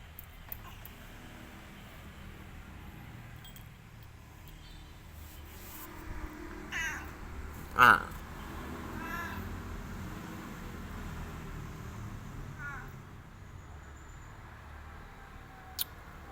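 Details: Boy, a pet orange village cat, makes several short meows, one loud and sharp near the middle and softer ones around it, against quiet room noise.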